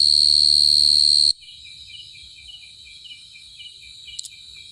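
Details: A loud, steady cricket trill stops abruptly. Softer, quickly repeated high chirps follow, pulsing at a fast rhythm against a quiet background with a brief click near the end.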